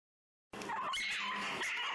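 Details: Female Shih Tzu, angry about being brushed, giving a short burst of harsh, snarling growls with whiny, rising squeals that begins abruptly after a half-second of silence; household setting, no other clear sounds.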